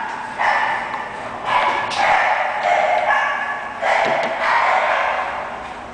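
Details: An English Bulldog gives a series of roughly second-long, hoarse barks with short pauses between them, recorded with a muffled, narrow tone.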